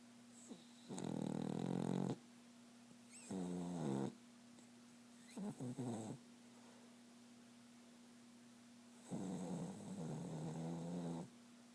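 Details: Dog snoring in its sleep while dreaming, heard as four separate raspy, grumbling bursts of one to two seconds each, broken by quiet pauses, over a constant low background hum.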